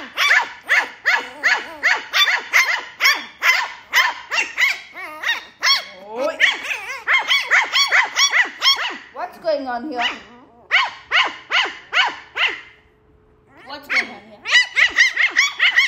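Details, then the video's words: Lhasa Apso puppies, named Max and Ginger, playing and fighting: dense runs of shrill yaps and squeaky whines, brief pause near the middle, a woman's voice and laughter scolding them. "Lhasa apso puppies 🐶 🐶 playing and fighting"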